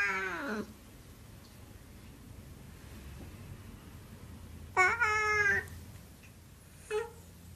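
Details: Siamese cat meowing indoors: a falling harmonic meow at the start, a louder drawn-out meow near the five-second mark, then a brief clipped meow, with quiet room hum between calls.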